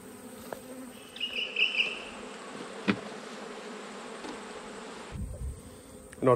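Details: Autumn hive inspection among honey bees, the upper box lifted off to reach the one below: a constant low drone, a brief higher whining tone near the start, scattered knocks and handling clicks, and a loud bump at the end.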